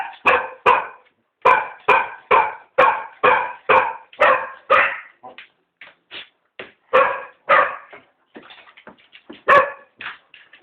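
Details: Three cocker spaniels begging for a walk give bursts of rapid barking. A string of eight quick barks comes first, then softer yips, then more barks with a few scattered whimpers near the end.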